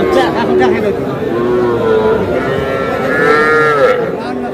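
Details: Small bull and heifer calves for sale at a Madaripur market in Bangladesh, 28 July. Several calf moos, one long and wavering near the end, cut through steady crowd noise and men haggling over prices.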